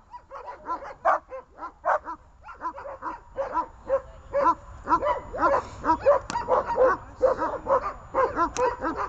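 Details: On a leash, dogs Glemmy, Fela and Rey bark excitedly: fast, irregular strings of high, piercing yaps, more than two a second, occasionally overlapping, with a brief click partway through.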